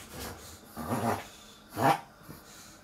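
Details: Pet dog Koo in a brief reverse sneeze after over-excited fast running, a grunting 'guk guk' sound: three harsh, throaty snorting gasps roughly evenly spaced over three seconds, with the last one loudest, in a quiet room.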